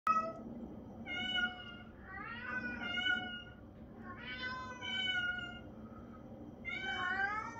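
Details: Traditional Siamese cat meowing repeatedly: about four loud, drawn-out, rich-toned meows over several seconds, some rising then falling in pitch, separated by short pauses, over a low steady indoor hum.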